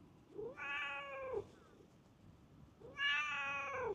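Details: Stray park cat that runs up on seeing a familiar face gives two clear, drawn-out meows, each rising then falling with rich harmonics, about two seconds apart, against quiet outdoor ambience.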